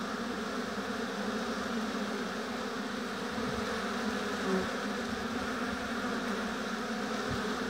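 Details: Honey bees humming steadily at a hive in an apiary, a dense continuous drone of many wingbeats with no pauses, one brief brighter buzz standing out near the middle.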